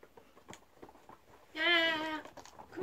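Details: Male guinea pigs fighting over rank, one giving a loud tonal squeal lasting under a second with a clear stack of harmonics. Soft scattered clicks and chatter come before it, and a short rising noise follows at the end.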